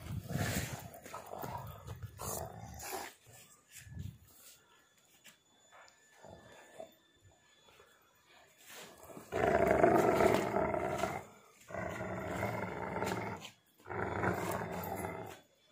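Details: Pitbull mix and husky growling during a tug of war over a shoe; rough low growls in long bursts, quieter noises early on, then a person laughing and talking.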